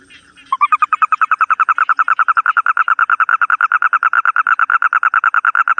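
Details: Toad calling: after a brief soft note, a loud, fast pulsed trill starts and runs steadily, roughly seven or eight even, buzzy pulses per second, mid-pitched and unbroken to the end, against a quiet background.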